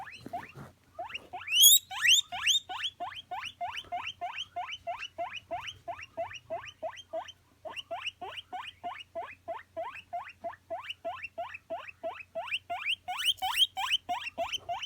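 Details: Pet guinea pig wheeking: long, regular train of sharp upward-sweeping squeals, about three per second, with a few louder shrill peaks and a low faint hum.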